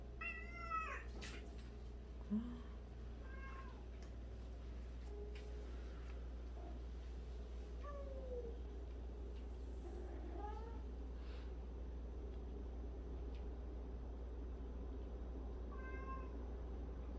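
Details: One of 76 cats sharing a home, where one cat washes the others' faces every day; scattered short, quiet meows over a steady low hum, with a few soft spoken words and occasional knocks.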